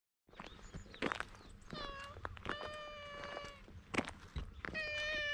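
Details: Stray cat with unusual coat markings pleading in cat language before climbing onto a lap, recorded outdoors on a GoPro HERO8: three drawn-out, clear, harmonic meows, each level then slightly falling, with soft rustling and clicks between.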